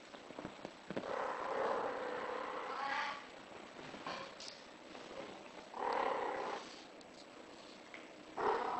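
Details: British Shorthair cat in heat, calling indoors: drawn-out, harmonic yowls of about one to two seconds, with a long wail early on and shorter cries near six and eight and a half seconds, separated by quieter background hiss.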